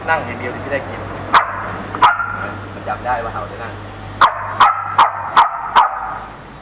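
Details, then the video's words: Dogs squabbling at a home in the Ram Inthra area: a Samoyed puppy of 4–5 months harassing a Corgi, with four more dogs joining in. Two sharp barks, then five rapid ringing barks about every half second, with faint talk behind. "ไปแก้ปัญหา หมาๆทะเลาะกัน"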